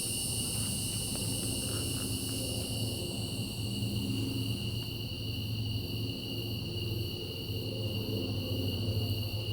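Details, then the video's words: Cicadas after dark keep up a constant high ringing drone in several bands, fading slightly in the uppermost tone partway through, over a persistent deep background rumble. "Night Sky And Cicadas"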